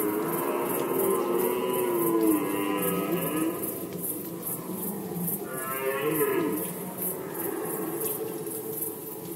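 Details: Roaring red deer in the rut, Poland 2020: a loud, groaning bellow of nearly four seconds, a brief pause, then another wavering roar that dips in pitch, with a regular high-pitched ticking throughout.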